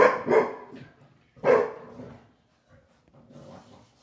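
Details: Yum Yum, a Shar Pei, and Bunny, a Boston Terrier, romp hard together after dinner. Two strong barks about one and a half seconds apart are followed by quieter rustling and a faint yip.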